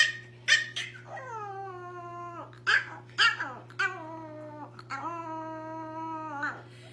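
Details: Little puppy trying to howl: a series of drawn-out, wavering, falling whine-howls, several lasting over a second, broken by short sharp yips; a steady low hum runs underneath.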